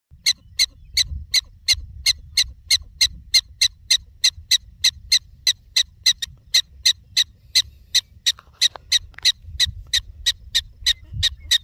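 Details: In the Badlands, a prairie dog gives sharp, high chirping barks, about three each second, in a steady run.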